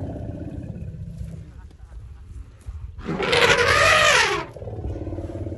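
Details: Khanyisa, an orphaned albino elephant rescued from a poacher's snare in January 2020, greeted by the rescued Jabulani herd at Hoedspruit Elephant Rehabilitation and Development, South Africa; a loud, harsh, brassy trumpet blast of about a second and a half follows low engine-like rumbling.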